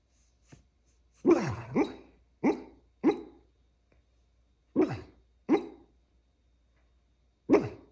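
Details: Sleeping dog gives muffled, breathy woofs in a dream, seven short barks with falling pitch, some in quick pairs, separated by silence in a quiet room.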